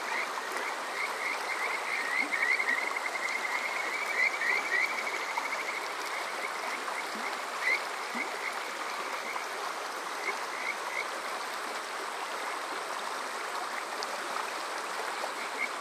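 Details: Kajika frogs on a summer night at Yokoze, Chichibu, Saitama, Japan: a brief trill of whistled notes early on, then sparse, softer chirps scattered through steady stream noise.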